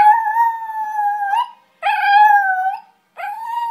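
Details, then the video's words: Pet terrier named Izzy singing in three drawn-out tonal howls separated by short silences; each rises slightly at the start, holds level, then fades with a small upward lilt. "Izzy singing"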